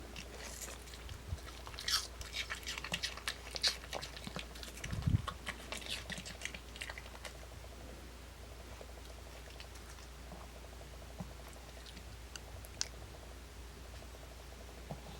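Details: Pet dog Gimdungi eating an apple, recorded uncut indoors in a small quiet room: irregular crisp crunching bites and wet chewing clicks, densest in the first seven seconds with sharp loud crunches near two and five seconds, then sparse quieter chews.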